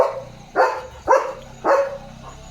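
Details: German Shepherd barking on night duty in the dark: three short sharp barks roughly half a second apart against a low background murmur and faint high hum.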